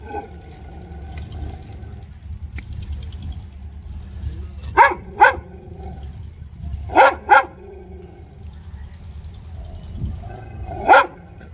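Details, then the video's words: Dog barking in short loud double bursts, pairs near five and seven seconds and a single bark near eleven seconds, over a low rumbling background hum. "dog barking sounds"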